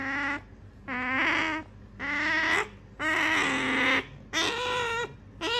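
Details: Pet otter named Sakura, female, indoors, begging for an item her owner holds; loud, harmonic whining squeals about 0.6 seconds long, repeated roughly once per second with short pauses between.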